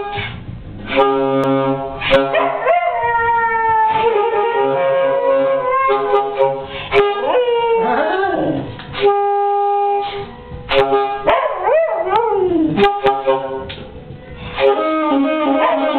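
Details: Suvi, a hound, howling along with a saxophone; long wavering howls swoop up and down in two bouts midway through, laid over steady held saxophone notes that fill the rest.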